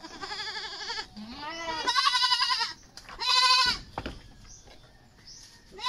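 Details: Domestic goats being dewormed before weaning, usually at about four months old, in the Philippines; three loud, quavering bleats with wavering harmonics, the second long and strained, separated by short quiet gaps.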